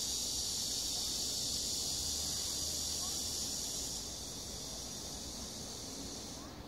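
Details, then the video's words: Korean summer cicadas in Sosa Grand Park, Bucheon: an intense, even, high-pitched drone that softens slightly partway through and fades near the close. "매미 소리"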